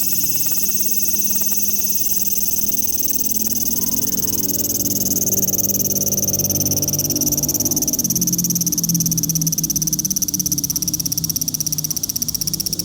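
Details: Large brown cicada calling: a steady, dense, high sizzling buzz runs throughout, with low humming tones underneath for the first eight seconds.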